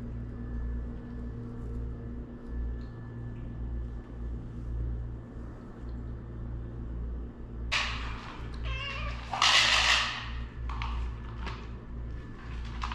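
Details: A domestic cat from a household family of cats (male Luki, a Shirazi; rescued stray black female Aswad; three newborn mixed kittens) gives short, harmonic meows late in the recording against a steady low indoor hum and some rustling.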